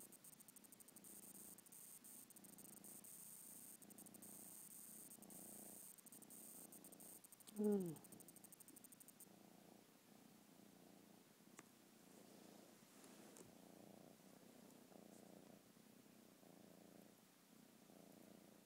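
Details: A lemur purring while being petted and settling down to sleep: a soft, steady, low pulsing rumble that runs throughout, with a brief sharp rising voice sound near the middle and faint background hiss early on.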